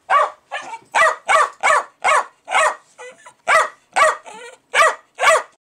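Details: Excited Jack Russell Terrier barking at fermenting beer: quick bursts of loud sharp barks, about two per second, mixed with softer whimpering yips between them.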